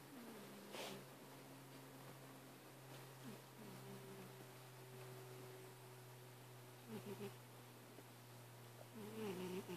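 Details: Domestic cat purring with a wheeze: thin, whistly tones rise and fall in short stretches over a steady low indoor hum, breathing rhythm roughly four times a second, a couple of soft clicks and rustles.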